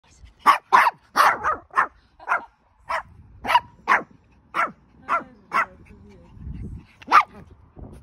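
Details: A male Pomeranian puppy, born August 2021, gives a run of sharp, high-pitched yaps, several per second at first then more spaced out, short and bright with a faint low rumble between.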